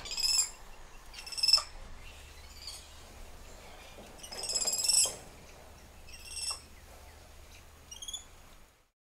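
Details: Softer, more distant spider monkey screeches: several tremulous, rattling high bursts spaced a second or two apart against a background of broad faint hiss.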